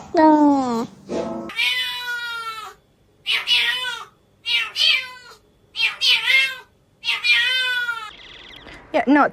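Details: A domestic cat gives a run of drawn-out, wavering meows with strange rising and falling tones, likened to a squeaky toy.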